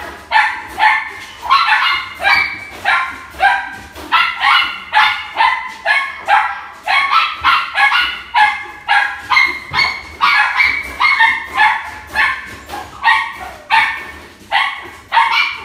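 A Miniature Dachshund barks in a fast, steady run of sharp, bright yaps, about two each second.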